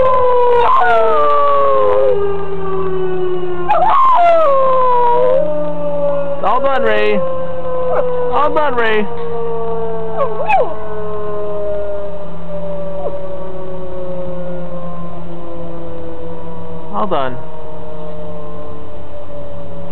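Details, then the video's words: A pet dog howling in response to a tornado siren: long wavering howls that slide downward in pitch, coming in repeated bursts of a few seconds each, over the steady drone of the siren, with a faint human voice. "Dog howling at the tornado siren"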